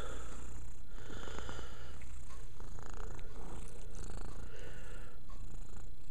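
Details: Domestic cat purring while cleaning itself: a steady, low rumbling drone throughout, with soft rustling from grooming and faint household background.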